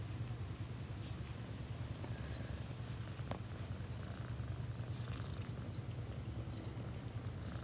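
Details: Domestic cat purring steadily, a low rumbling throb that pulses rapidly and evenly for the whole stretch, with faint high clicks and rustles above it.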